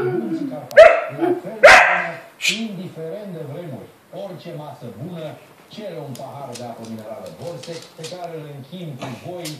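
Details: A Romanian dachshund, responding to the owner's father, makes loud barks, then long, wavering, moaning vocalizations like talking.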